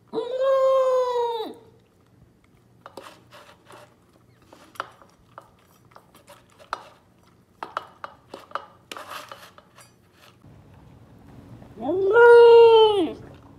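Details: A female Pembroke Welsh Corgi in Phoenix, Arizona howls while eating her food, giving two drawn-out, tuneful "awoo" howls with clinking dishes between them.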